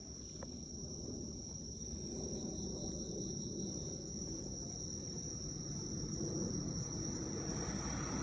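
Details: Crickets singing on an autumn night in Japan, 19 September 2024 at 18:36, recorded on an iPhone while out with a dog: a steady, unbroken high-pitched trill runs throughout over a low background rumble.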